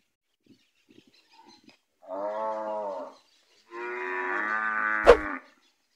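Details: Bulls of the Gyr breed kept on a farm in Morazán, El Salvador; two deep, harmonic moos about a second apart, the second longer and fuller, with a sharp knock near its end.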